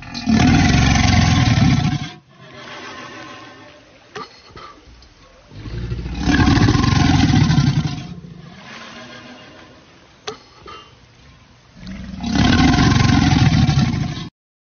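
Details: Crocodile at a zoo in Egypt. Three loud, deep, rumbling roars, each about two seconds long, come roughly every five seconds, with quieter rustling and low background noise in the gaps.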